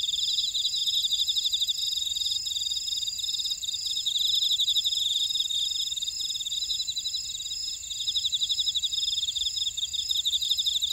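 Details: Chorus of grass insects in a buckwheat field at Ora-dong, Jeju City, South Korea: unbroken high, rapid chirping trills from many overlapping callers, with an even higher fine ticking layer throughout.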